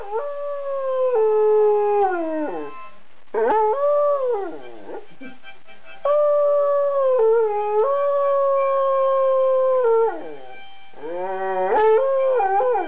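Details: Singing Afghan Hound, two years old, howling happily to harmonica: a series of long drawn-out howls, some gliding downward, others held level, separated by brief breaks, harmonica accompaniment under the voice.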